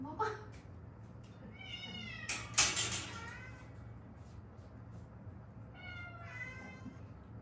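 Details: Rescued stray cats, a mother and daughter that lived seven years in Haeundae with traffic-accident fractures healed crooked; two drawn-out, rising-then-falling meows separated by a few seconds, with a sharp knock and rustling between them in a quiet room.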